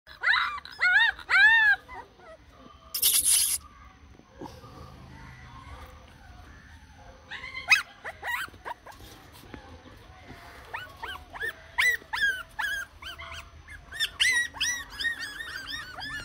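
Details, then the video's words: Spitz puppies giving high, arched whining yelps in bursts, each note rising then falling, repeated in clusters with pauses, with a brief noisy burst and faint background sounds. "Spitz Puppies"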